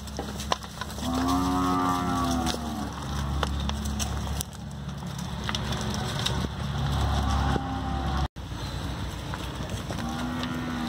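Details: Nelore young bulls, a lot of 25, at an in-person cattle auction in Araçatuba, São Paulo, Brazil, 22 September 2020 at 7 pm; a long harmonic moo rises then falls, another starts at the end, over constant auction-hall noise and a low hum.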